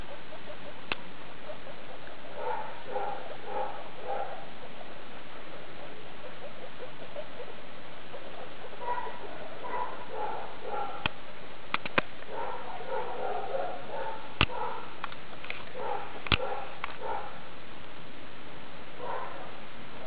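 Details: Skinny guinea pig mother Daisy with babies born 2 August 2012, CHS Luna, 19 August 2012: repeated rhythmic bouts of soft burbling chutter, several seconds each, separated by pauses, with scattered sharp clicks.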